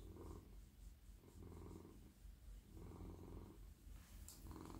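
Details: Petted male house cat purring in a lap as his head, neck and body are stroked; a deep rumble pulsing in breathing cycles roughly every one and a half seconds, with a brief rustle near the end.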